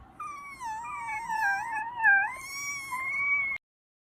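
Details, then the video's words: French bulldog making strange, funny sounds: one long, wavering, moaning whine lasting over three seconds, sliding up and down and ending abruptly. "A French bulldog is making strange and funny sounds"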